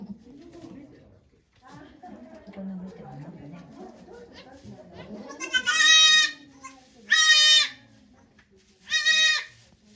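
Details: Okayu, a goat at Yoshigake farm in Japan, giving birth to two kids on 3 May 2023 with volunteers present; three loud, bright bleats in the second half, each about half a second, after low background chatter.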